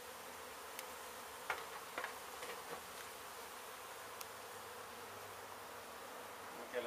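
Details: Honey bees in a hive exposed while an abandoned house in Mission, Texas, was being torn down, later moved to safety; an even, broad buzzing drone with a few scattered faint clicks.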